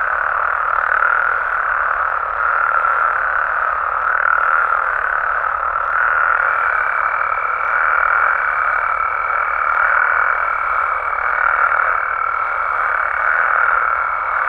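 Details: Frogs and toads in Mexico calling after dark, countless croaks blending into a steady chorus, joined halfway through by a thin sustained higher tone that persists to the end.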